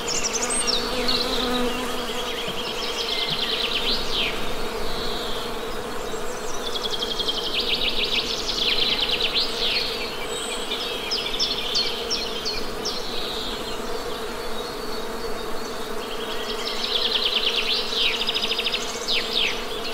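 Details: Continuous drone of Western honey bees, a constant low buzz with stacked overtones lasting the whole stretch, overlaid by repeated high twittering and rapid chirp series from songbirds.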